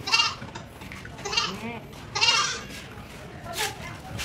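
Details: Goats from Medang Island bleating while being shipped by boat to Sumbawa Island, West Nusa Tenggara, Indonesia; several harmonic, wavering bleats about one second apart, with background murmur and faint engine rumble.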